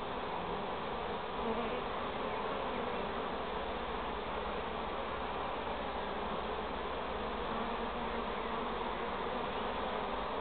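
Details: Honey bee swarm, queen being marked, producing a steady, dense droning hum that holds even throughout, with no clear breaks or other sounds.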